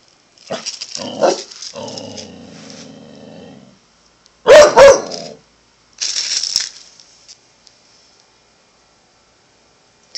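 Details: A Corgi cries at pigeons with a sustained harmonic whine of about two seconds, followed by a loud, sharp bark-like burst and a brief noisy sound, in a quiet indoor setting.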